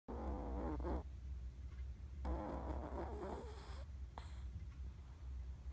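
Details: Chihuahua Ran-chan napping at midday, twitching as she snores: rough, buzzy nasal rasps in short irregular bursts over a steady low hum, with quiet gaps between breaths.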